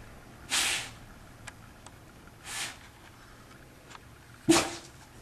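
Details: Belle, a pet dog who does not like being wet, right after a bath in her usual routine: three sharp, breathy sneeze-like bursts spaced about two seconds apart, with faint clicks and rustles between them in a quiet room.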